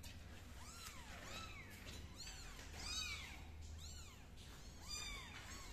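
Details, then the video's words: Kitten crawling on a floor, repeating high, curved meows about once a second against a steady low rumble and faint background noise. "MiMi's kitten crawling on the floor"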